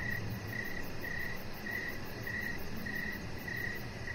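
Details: Crickets chirping in the evening beside a deck with decoration lights where a chihuahua puppy named Rocket lies; short bright chirps repeat steadily about every half second over a low rumbling background and a faint high pulsing hiss.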